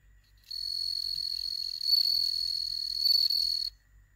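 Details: A captive-bred bell cricket, kept indoors in Hokkaido while cats watch, sings a clear, high, ringing trill that holds steady for about three seconds.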